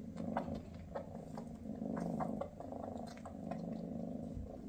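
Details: Mama Freya, a Maine Coon queen, purrs beside her kittens shortly before they leave for new homes; a deep, throbbing purr that swells and eases over a few seconds, with light tapping sounds overhead.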